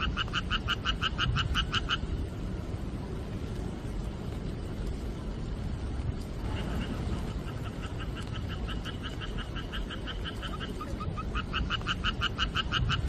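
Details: Frogs calling at night during the rainy monsoon season, a rapid pulsed croaking in bursts of harmonic notes, loud at the start, faint in the middle, then rising again near the end, over steady heavy rain.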